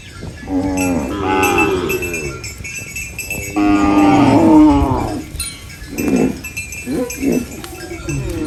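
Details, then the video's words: Farm cows eating banana leaves give loud, overlapping moos, long and harmonic with a wavering pitch, followed by shorter grunting calls near the end, with bell-like clinks sounding throughout. "Funny cow eating banana leaves Mooing Sounds"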